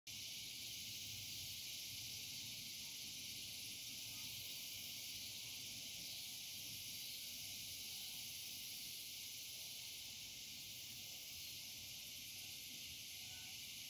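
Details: Cicadas calling at dusk: a dense, steady, high-pitched hiss-like buzz that never pauses, with a brighter shrill band near the top, forming an unbroken wall of insect sound throughout.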